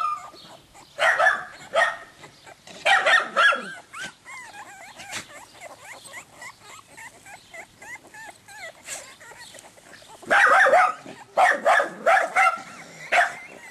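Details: Croatian Sheepdog puppies yelping in loud clustered bursts, interspersed with softer continuous high whimpers between the bursts, several pups calling over one another.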